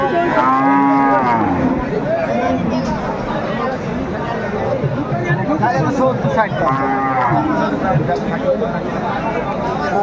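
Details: Large bulls at a Bangladesh cattle market before Qurbani, a Munshiganj farmer buying; two drawn-out harmonic moos, one at the start and another around seven seconds, beneath constant talking of a crowd.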